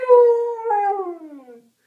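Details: Pet dog Rocky howls indoors while watching iPad Today, joining in at the closing howling he likes best: a single drawn-out tonal howl that starts high, wavers, then slides steadily downward before fading.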